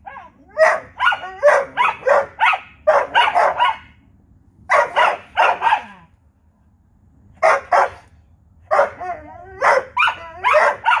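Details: Back-and-forth night barking between two dogs, a Vizsla and a Corgi; quick clustered barks with yelping, rising tones, a quiet pause of about two seconds, then renewed rapid barking to the close.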